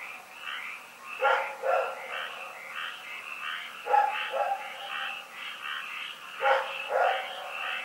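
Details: Rex, a dog, barking in the night on February 27, 2018. Three double barks, each a quick pair of sharp yaps, sound against a persistent background of rapid chirping calls.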